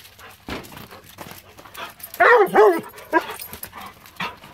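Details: Excited Weimaraner greeting its owner home after four days away: scattered snuffles and short sounds, then a loud wavering high whine around the middle and a brief yelp near the end.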